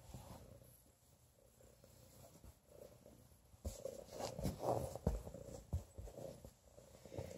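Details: Pregnant cat purring while being petted, a low, rumbling purr with soft pulses repeating steadily, growing louder and more textured in the second half amid faint rustling of the petting hand.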